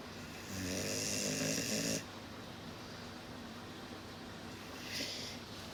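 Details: Mugi, a large Cane Corso (Italian Corso Dog), a rare breed in Japan, snoring indoors: one long rasping snore lasting about a second and a half, then quiet breathing and a softer snore near the end.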